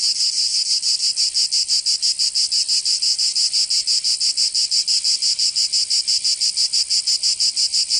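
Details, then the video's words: In southern France's Provence during summer, cicadas produce a loud, sizzling drone with very even rhythmic throbs close to three per second, steady from start to finish. "Canto Cigarra"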